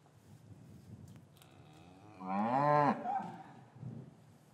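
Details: A single loud bovine moo from an English farm yard on a winter afternoon after calves were separated from their mothers; one rich harmonic call lasting under a second, rising then falling, over quiet yard noise.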